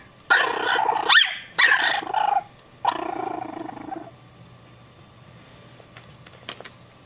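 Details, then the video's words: Chihuahua puppies giving drawn-out, harmonic yelping barks, three long strained outbursts in the first four seconds, then near silence with a couple of faint clicks. "Chihuahua Puppies Bark"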